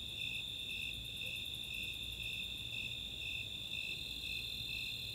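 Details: Snowy and Four-spotted Tree Crickets in chorus on a summer night at Chautauqua, Boulder, Colorado; a continuous high trill and spaced chirps, with a quick run of very high ticks near the start, like Greater Angle-wing Katydid ticking.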